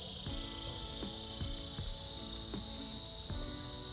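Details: A chorus of cicadas in the winter season keeps up an unbroken, shrill buzzing drone high in pitch. Faint tonal notes and soft thumps sound underneath, possibly music.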